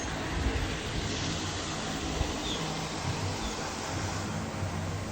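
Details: Steady broadband rumble like a vehicle or fan fills the whole stretch, with no animal voice.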